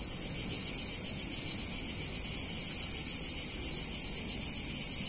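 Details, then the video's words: Cicadas in a picturesque Italian town on a hot summer day, their loud, dense, shrill buzz filling the air without pause and pulsing faintly, with very little other sound. "Cicadas In Warm Summer Day In Italian Town"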